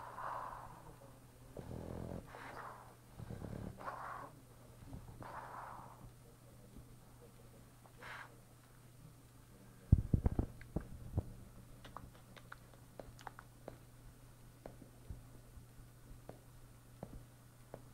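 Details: Boston Terrier (Canis familiaris) named Boris, sleeping and snoring in deep, rasping breaths every second or two; recorded 2011-12-12.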